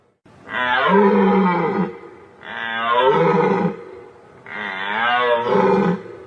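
Three long, nasal bleats from a white-tailed deer come one after another, each lasting over a second. They are rich and harmonic, sliding gently downward before tailing off.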